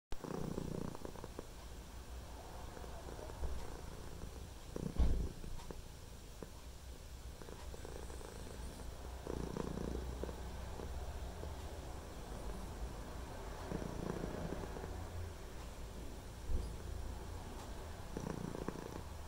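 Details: Male white and ginger domestic cat purring with his tongue sticking out, recorded on a phone indoors; a steady low rumbling purr throughout, with a faint rhythmic rise and fall as he breathes in and out.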